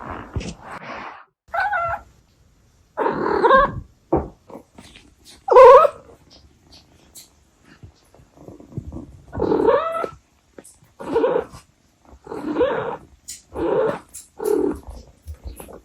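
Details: A domestic Abyssinian cat mom chatting to her kittens: a long series of short, murmured chirrups and trills, about one each second, varying in loudness, with quiet gaps and small handling noises between.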